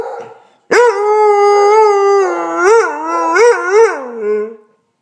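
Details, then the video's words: A Basset Hound, talking and howling while another dog barks at a hot water heater, gives a long, harmonic howl that wavers and ends in rising, yodel-like swoops. "Linus the Basset Hound - Howling and Talking"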